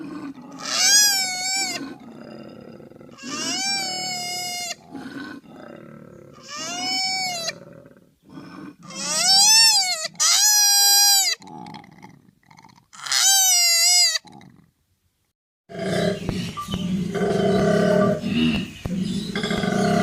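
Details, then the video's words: Koala calling with a run of wailing, harmonic cries, some short and some drawn out, mixed with hoarse breathing. The cries end in a brief silence, followed by a burst of low, rough, noisy grunting. "KOALA SOUND EFFECT 코알라 울음소리"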